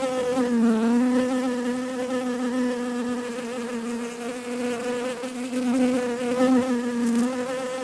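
A bee hums a steady, low buzz that wavers gently in pitch as it flies close by.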